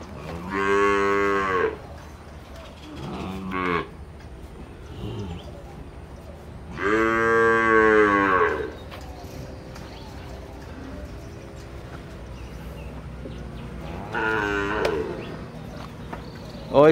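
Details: Dairy cows on a farm in El Salvador around morning milking time; loud drawn-out harmonic moos of one to two seconds each, three calls spaced several seconds apart, with quiet farmyard background.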